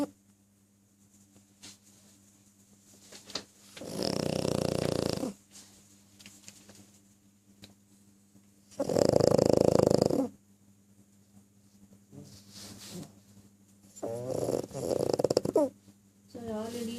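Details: Sleeping pug giving three loud, raspy snoring breaths several seconds apart, each a buzzing burst lasting about a second, with softer snuffles and small noises between them in a quiet room.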